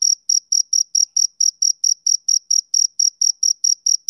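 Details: High, regular chirps from a male cricket on a summer evening, roughly three to four short pulses per second in an even, soothing rhythm, alone in a quiet setting.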